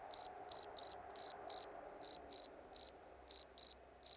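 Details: A cricket gives about a dozen crisp, high-pitched chirps in quick succession, each a tight burst of pulses, spaced irregularly with short gaps, over a soft low background hum.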